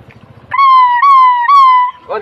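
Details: A toy Pomeranian, indoors in a banquet hall, gives a high, drawn-out howl in three long, steady notes, each sagging slightly in pitch, in reaction to the sound of a police car.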